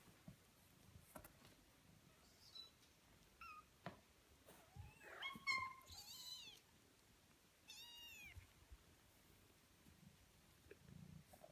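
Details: Kittens 18 days old, several thin high mews scattered through the clip, some short and some longer with arching harmonics, mostly quiet with gaps between them in a small indoor space.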